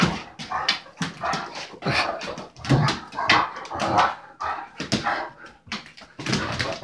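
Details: Play-fighting in a kitchen between an Irish Wolfhound puppy of six months and an Anatolian Shepherd aged five years. Harsh growling barks and snarls come rapidly, about one to two a second, rising and falling in loudness.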